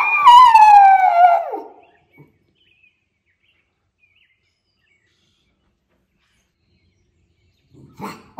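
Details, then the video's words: Miniature Schnauzer brothers, indoors in Aroostook County, Maine, howling together after coming back from their yard; one drawn-out harmonic howl slides downward for under two seconds, then near silence with a faint noise at the end. ""And The Choir 🎶 Sings!" - Miniature Schnauzer Brothers"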